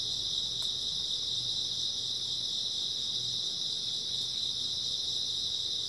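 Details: Many grass insects chirping on an early autumn night, a steady piercing high trill without pause, one sharp click near the start and a quiet low drone.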